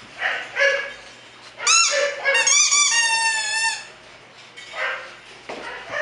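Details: Bulldog puppies at a kennel in Florida: a couple of short squeaks, then a long, high, wavering whine rich in overtones that slides gently downward for about two seconds, followed by softer squeaks in a quiet room.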